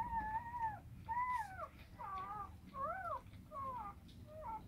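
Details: Rottweiler mother with her puppies indoors; a run of six high, tonal whines, each under a second, several arching up then down, separated by short pauses over a quiet room background.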